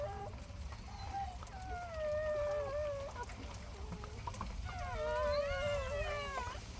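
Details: Newborn puppies just born to the dog Heukhyang, nestled warmly by the mother: thin, high whining squeals with wavering, sliding pitch, several overlapping in bursts, loudest near the end, over a low steady background hum.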